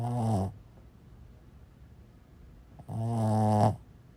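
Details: Sleeping Boston Terrier, the seal dog, gives loud, deep, buzzy snores: a short one at the start, then a longer rasping snore about three seconds later, with near silence between.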